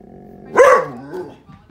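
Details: Doberman and Border Collie cross giving an alarm bark at the mail carrier: a single sharp bark followed by a falling, whining tail, with faint background sounds.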